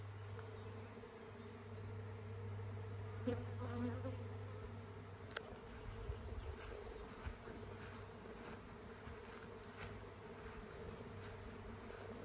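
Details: Airborne honey bee swarm moving to a new home after the queen leaves the hive with part of the bees; steady low humming band with a continuous droning tone and scattered close buzzing passes.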